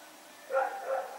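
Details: Rex, a dog, running around at night in Pyrga, recorded September 21, 2018: after a quiet start, two short tonal barks with stacked harmonics, the first sharper and louder, the second following about half a second later, over faint background hiss.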